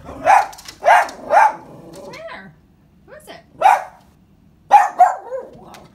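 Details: Siberian Husky barking when someone pulls up to the house: a series of sharp, loud barks in quick pairs, a pause, then more single and doubled barks with softer whining sounds between.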